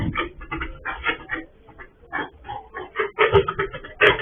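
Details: Escaped sow on a pig farm, recorded by a surveillance camera while the farmer was away; short rough grunts in quick uneven bursts, about one a second, narrow muffled tone.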